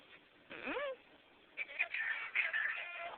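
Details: Sydney, a dog said to sound like Chewbacca or a yeti, gives a drawn-out, wavering groan that swoops downward, then a run of higher, rough, moaning yowls, with a person's voice teasing her about the name Chewbacca.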